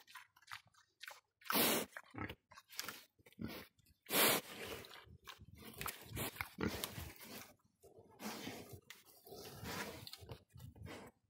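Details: Several domestic pigs on a ranch making harsh, noisy grunts and snorts in irregular bursts, with two louder, sharper squeal-like blasts standing out among rapid rough calls.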